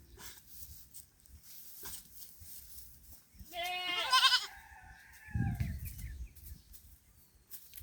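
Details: Thirsty pet goat resting in the shade in a field during intense heat; one loud, quavering, harmonic-rich bleat lasting about a second, followed by a low thump and faint background rustle.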